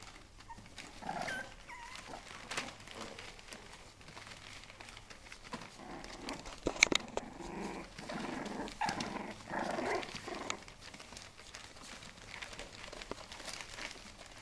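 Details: Four-week-old bulldog puppies indoors, Hungary-labelled litter: soft scattered growls and small whimpers come in short bursts, with a few sharp clicks and light handling noise in a quiet room.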